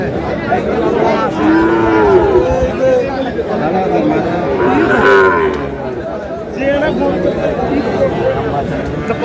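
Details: Sahiwal cattle at a busy livestock market in Bangladesh, including a young bull calf around ten months old; several drawn-out moos rise and fall amid crowd chatter and men talking.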